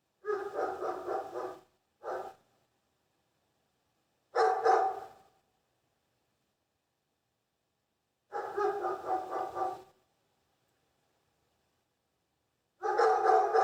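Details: Dog barking in short bursts of several rapid barks each, the bursts separated by silent gaps of two to three seconds; clear, mid-pitched, with no other sounds.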